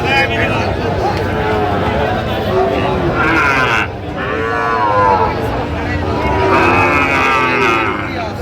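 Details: Sahiwal cattle, bull calves bought by a farmer in Chattogram, Bangladesh, on 4 September 2025, lowing amid a busy livestock sale; long harmonic moos swell around the middle and again near the end, over steady crowd chatter and bargaining voices.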